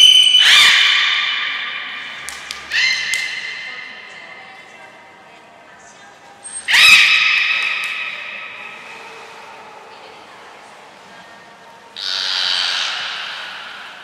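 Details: Captive belugas Gray, Nana and Mirai training at Port of Nagoya Public Aquarium on 7 June 2022: strong harmonic squeals at the start and around seven seconds, fainter tonal sounds between, and a buzzy broadband burst near twelve seconds, in a reverberant hall.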